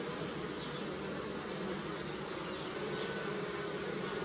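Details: Bees buzzing while collecting nectar on flowering willow in early spring in Europe; a dense, steady, unbroken hum fills the whole stretch with no other clear sounds.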